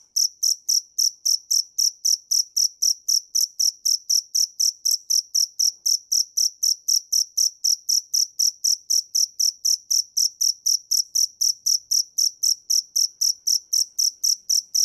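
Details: Long unbroken run of cricket chirps, the dế mèn repeating shrill, pulsed notes about four times a second with metronome-like regularity for nearly fifteen seconds, nothing else audible.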